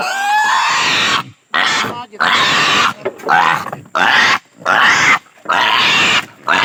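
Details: Native pig undergoing castration, uttering short, raspy, strained squeals in quick bursts, roughly seven in a row with brief silences between.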